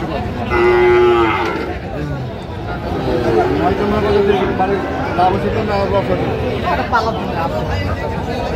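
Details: Sahiwal bull calf at a cattle market in Gopalganj, Bangladesh, on 22 July 2025, giving one drawn-out, low, harmonic moo near the start, followed by crowd chatter and men's voices bargaining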